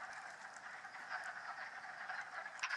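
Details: In March, hundreds of wood frogs, newly thawed from the leaf litter of the Mt Tom range forest in western Massachusetts, gather at vernal ponds in a dense chorus of overlapping hoarse, duck-like clucks that blend into a steady chuckling roar.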